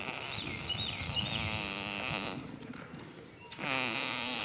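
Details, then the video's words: A goat sleeps in a field on the first day of spring. It gives a drawn-out, buzzy, harmonic snoring breath, a short pause, then another begins. Bird chirps are faint in the background. "heres a goat snoring for 16 minutes"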